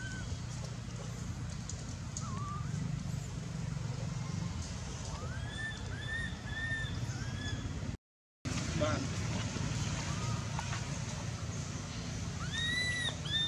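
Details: Baby monkey Anissa at Angkor Wat temple cries in pain after Aron hits her and drags her across hard earth: scattered arched, wavering wails that rise and fall, with clusters near the middle and the end, over a steady low rumble.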